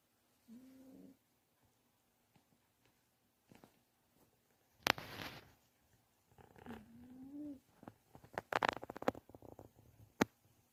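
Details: A pet dog named Dodam sleeps comfortably after being kept warm. It snores softly indoors, with two faint whistling breaths that rise slightly. Scattered rustles and clicks are heard between them.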